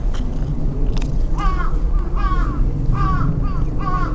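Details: A tabby kitten, abandoned in a pond-side park and now used to people, begs for attention and tries to climb onto laps and shoulders. Four clear arched meows repeat about every 0.8 seconds over a heavy low rumble.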